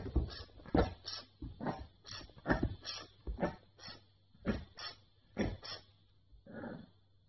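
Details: A 9-week-old female Boston Terrier puppy makes short, breathy snorts and grunts in quick, uneven bursts.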